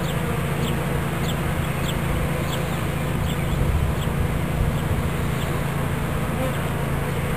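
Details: Low, constant droning hum of a bee swarm being captured into a fresh hive body in Watkinsville, Georgia, with faint clucking and brief high chirps from fowl or birds sounding intermittently behind.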